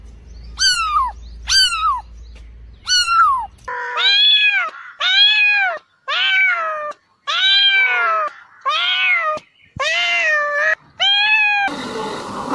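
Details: Domestic cat meowing repeatedly, a series of short falling meows followed by longer arched, drawn-out meows, several calls in quick succession with brief pauses between them.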